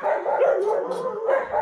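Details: A West Siberian Laika puppy and pack bark eagerly in a dense, overlapping chorus on a cool morning, impatiently waiting to be let out of their enclosure for a walk.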